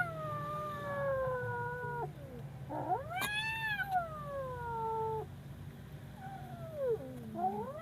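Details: Frightened kitten giving long, wavering yowls: a drawn-out descending wail, then a higher arched cry that rises and falls, and a short rising call at the end, over a steady low rumble.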